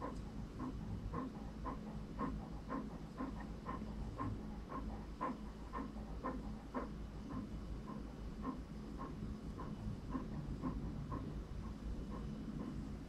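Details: Slower, even panting of an English Cream Golden Retriever puppy named Franklin, about two breathy huffs per second, quiet against a constant low hum.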